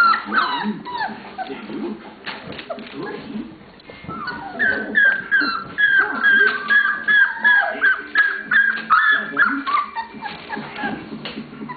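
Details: Puppies from Lola's litter, 27 days old, playing and interacting together: a dense run of high, thin squeaking whimpers and short yips, coming in quick bursts that crowd together in the second half.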